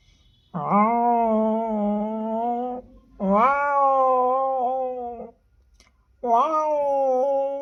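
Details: Pair of domestic cats in heat, male and female, calling indoors: three loud drawn-out yowls, each rising sharply at the start then holding a steady wailing tone for one to two and a half seconds.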